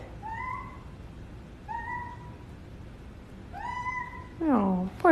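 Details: Pet cat mewing indoors: three short, thin, level mews spaced about a second and a half apart, then a longer, louder meow that slides downward, with faint hiss behind.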